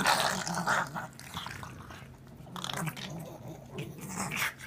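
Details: Goofy pug noises at home, a low rumbling growl broken by raspy, snuffling bursts; a person's voice comes through faintly at times.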